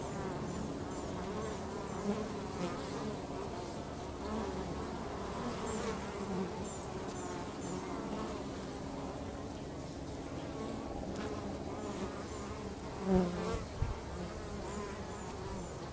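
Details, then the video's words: Worker bees busy around a home setting give a continuous even drone, a soft low hum with faint higher buzzing flickers and one brief louder knock. "Bees at Home"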